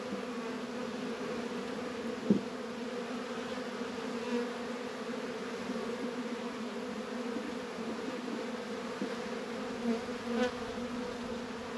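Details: Hive bees active on an unusually warm winter day, 72 degrees in February, northern Kentucky apiary; constant deep humming of many honey bees, with a couple of short knocks or clicks.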